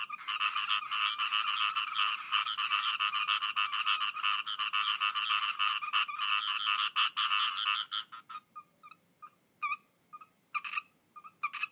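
Frogs calling in a dense, rapid chorus of rasping, pulsed croaks that thins out near the end.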